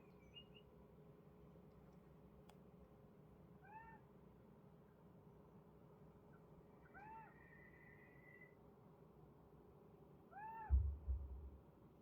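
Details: Kitten reacting to unfamiliar bird sounds, giving short soft arched meows spaced a few seconds apart, one followed by a brief drawn-out tone, with a low rumble and a bump near the end.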